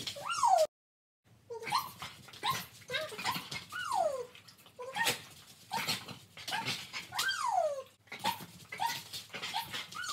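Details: Jillie and Levi, trick-performing Border Collies, give repeated high yelps that fall in pitch, mixed with shorter barks, after a brief silence near the start.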